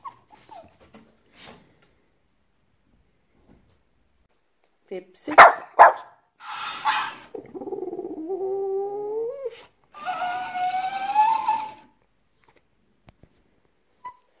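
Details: Pepsi the French Bulldog talking back at a talking hamster toy indoors: a woman speaks, sharp yelps follow, then two drawn-out whiny, moaning wails with wavering pitch, with clicks and quiet pauses between.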